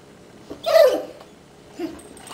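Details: Female Basset Hound named Millie, indoors and happy at dinner time, gives a single short, loud, tonal bark-yelp with strong harmonics after being asked to sit and speak; a quieter second vocal sound follows, with a person's voice nearby.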